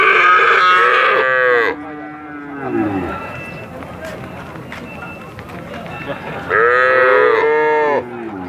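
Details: Cattle mooing: two loud, drawn-out harmonic moos of about one and a half seconds each, the first ending in a falling slide, separated by a quieter stretch with background noise and faint voices.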